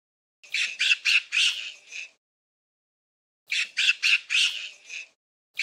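A monkey gives harsh, screechy bursts in quick runs of five, repeated after a brief pause.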